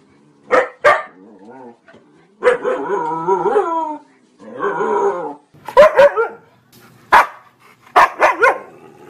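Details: Siberian Husky, a breed that originated in Siberia, giving short sharp barks mixed with longer wavering, howl-like yowls, then more clipped barks in pairs toward the end.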